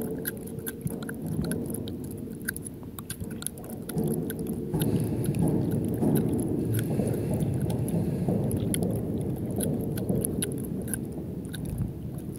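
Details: Callista, a captive black leopard at Cheetah Experience, lapping water after running around: rapid, steady wet laps roughly four per second, with low rumbling background noise throughout.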